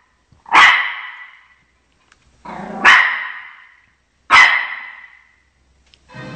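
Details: Shih Tzu Chocolate defending its territory from television dogs, giving three strong, ringing barks roughly one and a half seconds apart, with soft background sounds between them.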